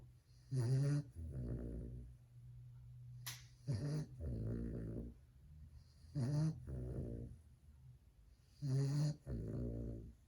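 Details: Two-month-old fawn Cane Corso (Italian Mastiff) puppy snoring loudly while asleep indoors: deep rumbling in-breath and out-breath pairs repeating about every two and a half seconds, steady low hum in the background.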